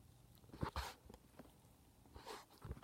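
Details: Sneezing from ferrets that have caught a cold, heard in a quiet room: a quick double burst of sharp hissing sneezes, then another breathy sneeze about a second and a half later, with light shuffling between.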